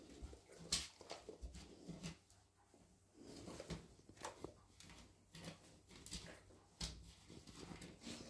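Month-old golden retriever puppies make faint whines and short, high squeaks, coming in scattered bursts. Low room rumble and small knocks sit underneath the calls.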